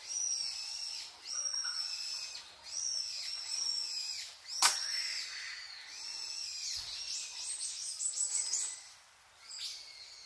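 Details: Wild Japanese macaques of the roughly 350-strong troop with infants at Awajishima Monkey Center, Sumoto, Hyogo, Japan, arriving just before 3 pm. Overlapping high, harmonic arched coos rise and fall about once a second, with a sharp click midway.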